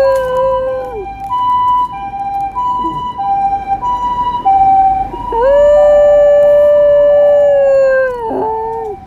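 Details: Shetland Sheepdog howling: long sustained tonal wails holding steady pitch, then sliding down, with a wavering middle section and a strong drawn-out howl near the end.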